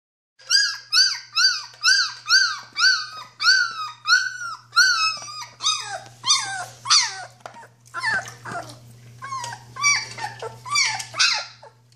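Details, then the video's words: Two-week-old Dobermann puppy indoors, vocalizing as if telling someone off: a run of about a dozen rhythmic squealing whines, each rising then falling, then rougher, squeakier, more broken yelps and grumbles, over a faint low steady hum. "Little doberman talking"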